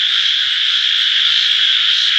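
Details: Frog chorus heard as an unbroken, high, buzzy trill of countless overlapping voices, holding a constant level the whole time.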